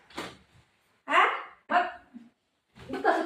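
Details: Shih Tzu dogs playing with their mom, giving a few short, harmonic barks in separate bursts with half-second pauses between them. Quiet gaps in between hold no other clear sounds.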